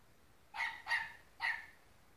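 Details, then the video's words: Dogs fighting, a Dachshund against a Golden Retriever: three sharp, bright barks in quick succession, the second close behind the first, in otherwise quiet surroundings. "Dachshund vs Golden Retriever Fight"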